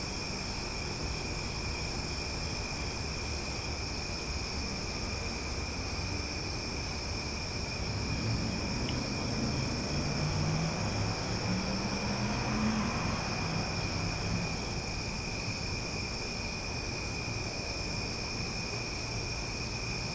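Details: Cicadas in Omaha buzzing loudly at night, their high steady drone constant throughout. A passing low whoosh of a vehicle swells in the middle and then fades.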